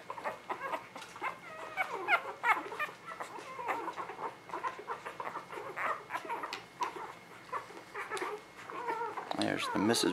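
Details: Several newborn puppies from the Ava Jericho spring 2017 litter squeak and whimper almost nonstop, rapid high-pitched peeps overlapping in a busy chorus, with a person's murmured voice near the end.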